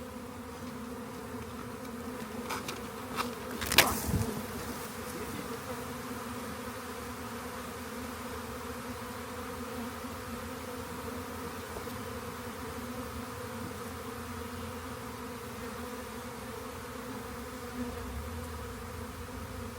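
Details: Swarm of honey bees discovered by a rain gauge before being collected: a constant droning hum of many wings, steady in pitch, broken near the fourth second by a short knocking clatter.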